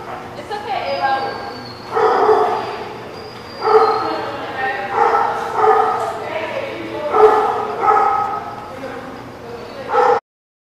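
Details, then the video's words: Dogs in a lot on 25 September 2017 giving bursts of harmonic barks every second or two, some overlapping, with a steady low hum and possible voices in the background. "The Barking Lot"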